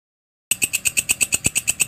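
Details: Walang kecek, or belalang kerik, a grasshopper used to train songbirds, starts abruptly after half a second of silence into crisp, evenly spaced rasping pulses, shrill and metallic, about eight per second.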